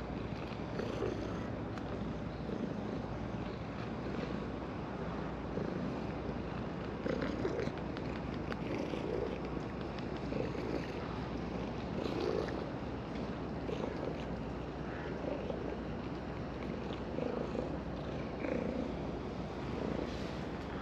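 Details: Orange tabby domestic cat purring while being stroked on a breakwater in the evening, filmed with a GoPro Hero10; steady, dense low rumbling pulses run unbroken throughout, with faint soft background noise.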